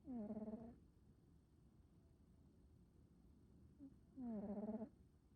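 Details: Snoring of a male black smoke American Shorthair cat: two drawn-out, humming, slightly pulsing nasal snores about four seconds apart, with a faint short squeak between them and soft background hiss.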